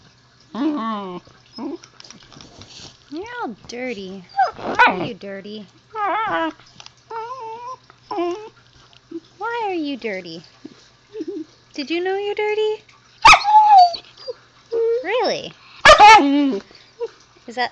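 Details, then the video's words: Zoey, a young Siberian Husky puppy, talks to her owner indoors in a long run of wavering, harmonic howl-whines. The pitch bends up and down, in bursts of varied length with short gaps. A faint steady hum sits underneath. "Zoey the Husky talking to me"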